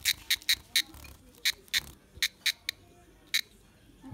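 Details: A caught cicada, held in the hand, gives short, harsh buzzing bursts in an uneven series; the sound is made by pressing its body membranes while it shakes its tail.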